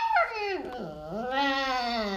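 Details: Pet Alaskan Malamute Lolo indoors, voicing a drawn-out 'talking' howl that swoops steeply down, dips low, then rises and holds a steady, rich, wavering tone for about a second, in a small room.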